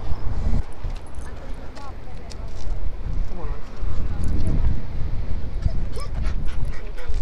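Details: Impatient Siberian Husky crying in a car on the way to Pfeiffer Beach, California; thin, wavering whines rise and fall at about two, three and a half and six seconds over a heavy low rumble of wind and road noise, with a man speaking.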